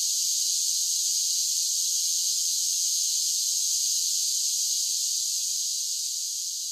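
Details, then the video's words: Cicadas in summer give an unbroken, sizzling high drone that stays even throughout and eases very slightly near the end, with no birds or other background. "Cicada Sounds"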